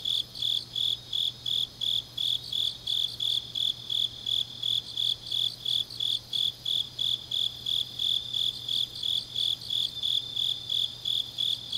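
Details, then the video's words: Grass insects singing deep in an autumn night in Changnyeong, Korea: a long run of regular, piercing pulsed chirps near three per second, layered over a dense background chorus of other insects. "깊은밤 가을 풀벌레 소리"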